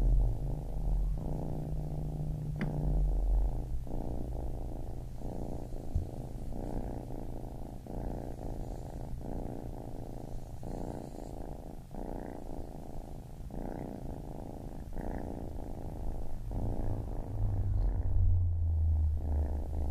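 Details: Continuous low purr from a baby kitten, breathing rhythm swelling and easing about every second, with a faint steady low hum underneath.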